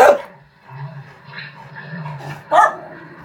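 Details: Norwegian Elkhound named Kiera, watching other elkhounds on a screen; two short, sharp barks, one at the very start and another near the end, separated by a low steady hum and faint murmuring.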